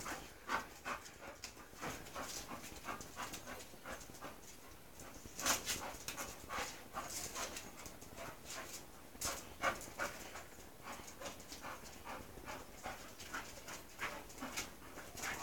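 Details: English Bull Terrier named Mush, a female close to her second season, meeting a male dog named Spike; rapid, breathy panting and sniffing bursts repeat irregularly throughout, with sharp noisy snorts around the middle.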